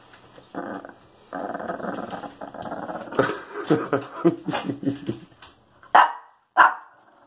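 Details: Shih Tzu growling when put in timeout, a sustained rough rumbling growl rising and falling in pulses for several seconds, ending with two sharp short bark-like bursts near six and six and a half seconds.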